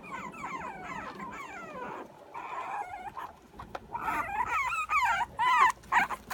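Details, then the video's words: Puppy in the morning, whining: a run of wavering, sliding high whines, quieter at first, then louder, sharper rising-and-falling yelps near the end. "morming puppy song"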